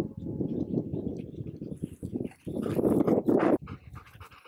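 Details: A Golden Retriever and a Border Collie reunited with each other after a long time apart: rapid, uneven panting and huffing breaths, rising into a louder excited whine-like burst near the end, with faint rustling in the background.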